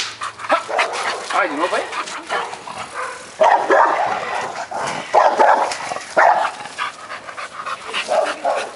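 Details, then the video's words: During guard training, Kurô the Campeiro Bulldog runs free in the yard and barks at a man taunting him through the gate. Short harsh barks stand out against steady overlapping speech. "Treinamento de Guarda - Buldogue Campeiro"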